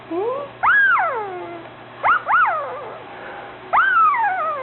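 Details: New puppy whimpering in a run of high, nasal whines, each rising quickly to a peak then sliding down, some doubled into short yelps, spaced about a second or two apart over a low steady hum.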